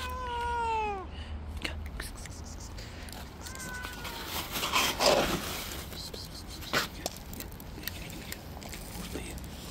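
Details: Stray tabby cat living on the street, jealously attacking and pushing away other cats that approach. A drawn-out, falling meow opens the recording, a shorter meow follows a few seconds later, with clicks, rustling and faint street noise behind.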